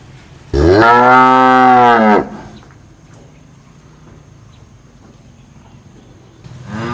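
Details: A cow gives a long, deep moo that swells and then holds steady before cutting off.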